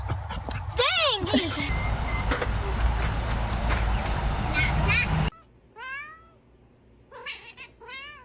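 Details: Domestic cat in a funny cat compilation giving several short, rising-then-falling meows after a noisy stretch of background clatter and voices.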